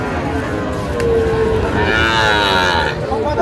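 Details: Sahiwal bull calves at a busy Saturday cattle market near Comilla, 19 April 2025: a steady low, flat moo swells and then fades, with men talking and general market bustle behind it.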